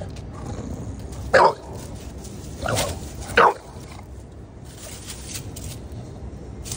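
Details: Bulldog barking after spotting a cat: three short, harsh barks spread over about two seconds, the last two close together, then quiet room noise with faint background sounds.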